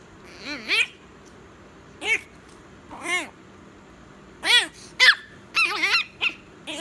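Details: Chihuahua at bedtime, giving a run of high, arched yips and whines, some single and some in quick clusters of two or three, in a quiet indoor setting.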